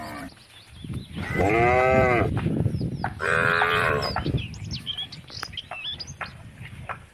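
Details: Cows on country roads calling the herd home: two mooing calls in quick succession, the second higher and brighter, followed by bird-like chirps and rustling.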